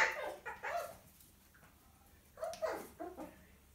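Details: Six-week-old miniature poodle puppy scolded by his mother inside a small room; two short clusters of sharp yaps and squeals separated by a quiet gap of about a second.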